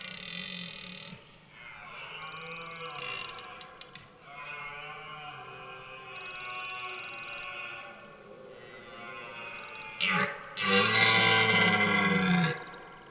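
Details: Rutting red deer in a forest at the start of autumn, giving hoarse, raucous bellows: several long growling roars with layered harmonics, ending in a louder, powerful roar near the close.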